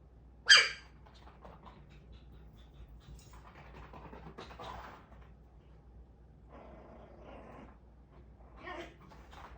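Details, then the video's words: Angry puppy that no longer fits beneath the sofa after growing bigger: a single loud bark at the start, followed by soft grumbling, whimpery sounds and a quieter yip near the end in a quiet room. "몸이커져 쇼파밑에 못들어가서 성질난 아기강아지"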